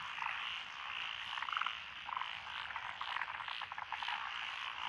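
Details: Frog chorus in lotus rice paddies along a country road in Echizen, Fukui, Japan, on 12 June 2021, with tree frogs, pond frogs, wrinkled frogs, Schlegel's green tree frogs and forest green tree frogs. A dense, continuous croaking din with pulsed raspy notes throughout.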